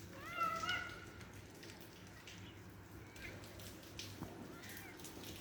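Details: Two cats talking to each other and making strange noises: one short, bending meow with bright harmonics in the first second, followed by quiet low hum and a few soft rustles and clicks.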